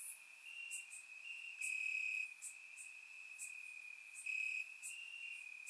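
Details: Night chorus of crickets in summer grass in Bulgaria: an unbroken high trill with slightly shifting pitch from different insects and louder bursts every couple of seconds, no birds or people heard.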